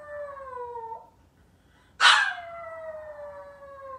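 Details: Lone Maltese puppy at home awaiting its family's return. A drawn-out howl sinks at its close and falls silent. Then an abrupt bright onset opens a second long howl that slides gradually lower in pitch.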